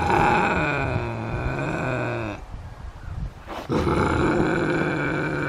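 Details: Canada lynx Max produces a loud, continuous throaty growl with a rich buzzing tone. It stops for about a second of breathy quiet, then returns just as strong.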